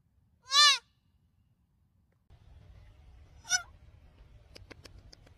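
A fawn gives a loud, high, nasal bleat that arches up and down, followed by a fainter second bleat.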